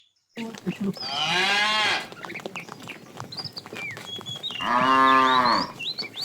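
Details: Fat cow from a tame herd being herded in the afternoon, calling the female: two long, drawn-out harmonic moos about three seconds apart, with small birds chirping throughout.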